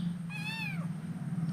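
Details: Hungry kittens at breakfast time: one clear, rising-then-falling meow about half a second long over a steady low indoor hum.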